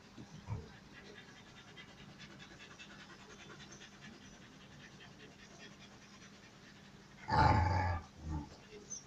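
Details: A male dog named Dobbie courts Emjay, a female in heat. Soft, rhythmic panting runs throughout. Near the seventh second comes one short, loud, strained whine-like burst, followed by a briefer, quieter one.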